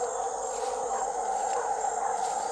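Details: A troop of howler monkeys high in a tree in dense forest in Brazil gives a very loud, steady, droning roar that rolls through the forest without pause.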